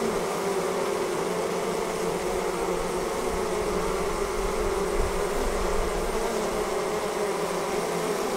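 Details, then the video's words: Steady massed buzzing of honey bees as the colony swarms away from the hive, a smooth, level drone with a prominent mid-low hum and faint hiss above. "Bee Swarm Leaving the Hive"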